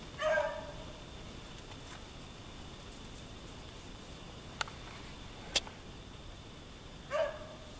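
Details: Daisy, a dog hunting rabbits in a snowy back yard in Maine, gives two short drawn-out bays about seven seconds apart, with sharp clicks and quiet snowy stillness between them.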